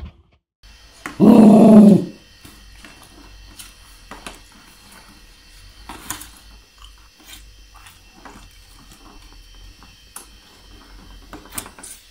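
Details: A scared dog lets out one loud, harsh, growling bark lasting about a second, followed by quiet indoor knocks and soft clicks, with a person speaking briefly before it.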